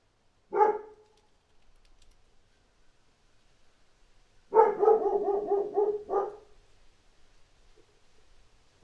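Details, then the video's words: Dog barking outside, giving one lone bark, then after a pause a fast run of about eight choppy barks in under two seconds, ending with one more bark. Faint background noise. "1 HOUR Dog Barking Outside"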